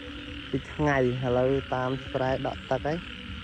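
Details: Frogs calling at night after heavy rain: a run of rough, buzzy, deep croaks in short bursts, roughly seven in three seconds. A steady insect-like drone sits in the background.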